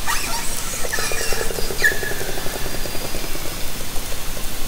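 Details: Orcas of Haro Strait, summer 2010, heard through a hydrophone lowered from a kayak: a rapid buzzing train of pulses, evenly ticking for about three seconds, with a brief faint tonal call near the start and constant water hiss.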